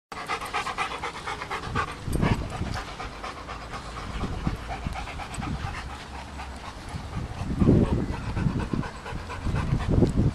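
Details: Milo, a dog racing around to show off his speed to other dogs, pants in quick breathy bursts, with heavier surges near two and eight seconds over a steady low rumble.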